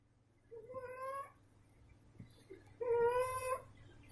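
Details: Female domestic cat snoring indoors: two drawn-out, nasal, whistle-like tones, each slightly rising and about a second long, separated by a quiet pause, over a faint steady low hum.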